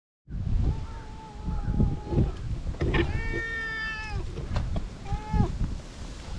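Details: Feral cat that comes up to be petted on seeing a familiar face and finally lands an angry cat punch, filmed on a GoPro. Three drawn-out, tonal meows, the middle one longest and highest, over heavy low rumbling handling noise.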